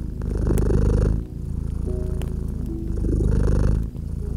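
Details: Cat purring by a crackling fireplace, the fast fluttering rumble clearly audible with two breath swells over four seconds, and a few bright snaps from the fire.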